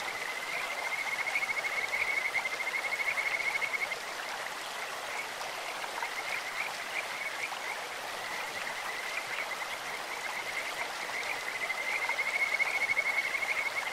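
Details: High trilled whistling of Kajika frogs in a clear stream: a pulsed run of about three seconds at the start and another at the end, separated by a stretch of mostly babbling water.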